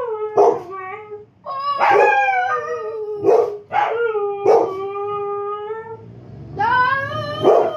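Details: Husky (Canis familiaris), howl.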